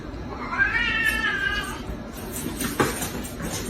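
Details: Pet cat giving a drawn-out meow, rising then falling over about a second, against a noisy room with clattering and a woman's voice scolding afterward.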